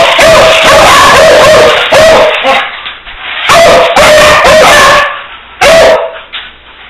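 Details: Beagle barking loudly in harsh, strained bursts of two to three barks, with pauses between groups, each bark carrying a strong steady tone and rich overtones.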